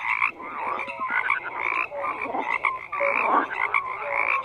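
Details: Dense croaking of many frogs at once, raspy bursts rising and falling in loudness, scattered short tonal peeps woven through the steady chorus.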